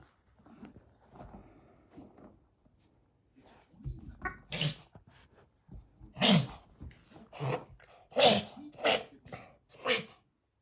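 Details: Italian Greyhound puppy Yakkuru, sneezing and reverse-sneezing in bouts a vet diagnosed as reverse sneezing; sharp, breathy snorting bursts come about once a second in the second half, after soft murmured speech.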